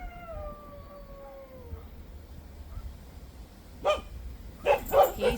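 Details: Lone dog sitting behind a fence near a house, howling as if calling for someone: a long tonal howl sliding slowly downward and fading over nearly two seconds, then after a pause a quick series of three or four sharp barks.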